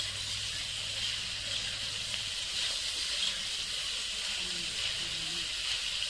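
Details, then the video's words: Cicadas singing in Nepal's Himalayan hills during a wild mushroom hunt: a dense, unbroken, shrill buzz holds steady throughout, with a faint low hum underneath for the first half. "Song of Cicadas"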